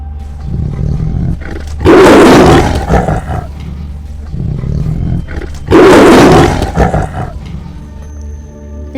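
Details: Tiger roar presented in a children's lesson on wild animal sounds: two loud, broad, rasping roars about four seconds apart, each lasting around a second and a half, over a steady low background hum and light music.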